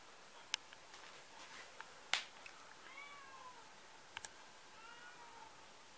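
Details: Cat giving two short, falling, harmonic meows a couple of seconds apart, with sharp clicks and taps sounding between them in a quiet room.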